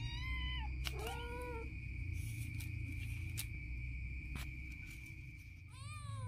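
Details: Playful little kitten naughtily biting its mother's stomach gives three rising-then-falling meows, two close together at the start and one at the end, over a steady high whine and a low rumbling hum.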